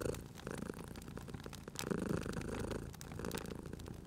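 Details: Domestic cat dozing by a fireplace, purring softly; a low rumble strengthens in the middle of the stretch while dry crackles and snaps of the fire sound over it.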